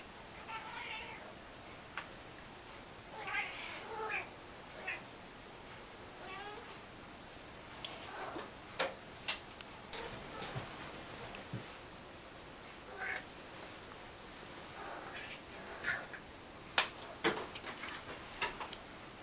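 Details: A domestic cat making funny noises: a series of short, harmonic meows and chirps scattered through the recording, with sharp clicks and taps between them in a quiet room.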